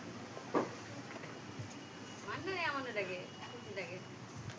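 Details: Angry cats sit on either side in a tense standoff, with a fight expected at any moment; one gives a long, wavering, rising-and-falling yowl in the middle, over steady background hiss and brief human voices.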